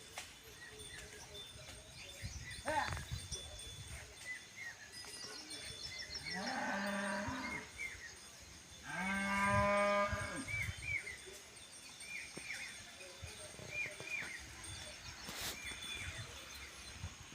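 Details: Khillar cattle of Maharashtra low twice: two long, rich, harmonic moos about two seconds apart, the second louder and steadier. Small birds chirp and bell-like tinkles sound in the background, with faint rumbling noise.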